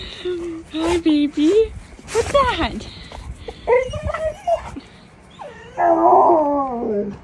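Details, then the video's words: Pet dog greeting its owner on arrival and knocking them over, giving excited whining, drawn-out howl-like tones that rise and fall in bursts, mixed with a woman's delighted voice saying hi and baby over faint music. "this is how my dog greeted me"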